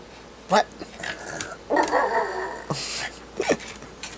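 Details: A pet Chorkie dog howls: a few short yelping notes, then a wavering, drawn-out harmonic howl of about a second, ending in brief yips, with a person's voice faintly mixed in.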